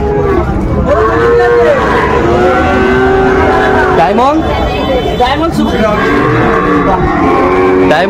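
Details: Several cattle moo in turn among bull calves bought in Shariatpur, Bangladesh. Their long droning lows rise and fall, some bending up at the end, over busy crowd noise.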